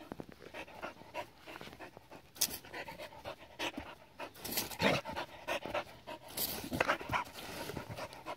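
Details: Panting from Adaike Polední kámen, a Border Collie aged seven, at play in water: rough, breathy puffs that grow louder toward the end, with splashing noise in between.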